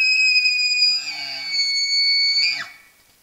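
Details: A large bull elk bugling at a wallow in September, caught on a Browning Strike Force Series Gen 5 trail camera: a piercing, sustained whistle with layered overtones and low grunts beneath, ending in a sharp downward slide.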